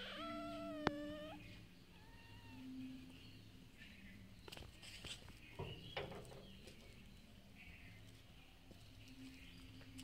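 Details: Street cats eating food they are given every day: a short high meow opens, then a quieter stretch of scattered soft clicks and smacking noises, with a few faint mews and low background hum.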